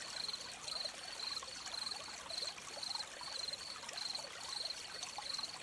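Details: Gentle crickets by a stream give bright, high pulsed chirps roughly twice a second, evenly spaced, while flowing water trickles and bubbles continuously underneath.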